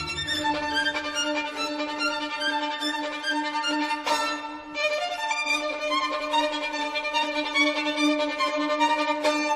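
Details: Bowed violin music plays throughout with no animal voice present.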